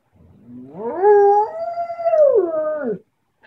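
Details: Siberian Husky yodeling at dawn to wake its owner: a single three-second howl that rises steeply, holds a wavering plateau, then falls away, after a man's praise.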